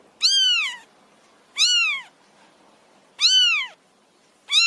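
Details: Stray kitten begging for food: loud, high, harmonically rich meows, each rising then falling in pitch, about four in under five seconds with quiet gaps between.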